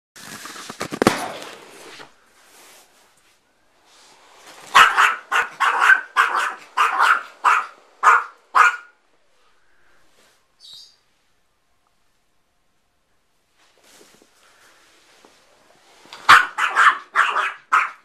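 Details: Dog afraid of an air bed, barking in rapid bursts of six to eight sharp barks, with a pause of several seconds between bursts, after some rustling at the start.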